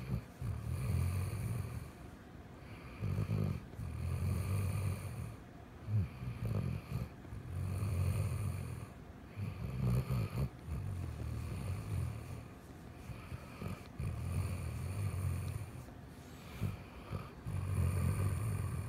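A Weimaraner snores loudly in deep, rumbling bursts, each breath a low rattling drone.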